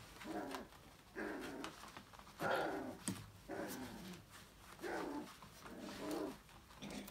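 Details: A litter of five-week-old Australian Labradoodle puppies at play in their enrichment playground: rough, grumbling growl-whines in bursts about once a second, each rising and fading, with faint scuffling between.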